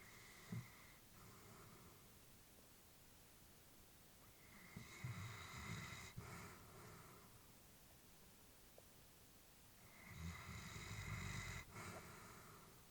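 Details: Peacefully sleeping elderly female Labrador Retriever indoors, with a brief snort, then slow, rhythmic breaths with a gentle snoring rasp, each lasting about two seconds with quiet pauses between them.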